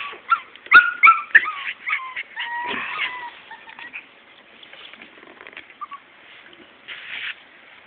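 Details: Morkie puppies, a Maltese and Yorkshire terrier cross, give high squeaky whimpers and short yips, clustered and loud at first, then fading to faint scattered squeaks with a brief rustle near the end.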